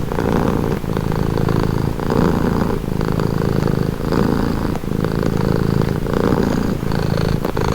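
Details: Close, loud cat purr, a buzzing low drone broken into even breath phrases just under a second long, repeated throughout.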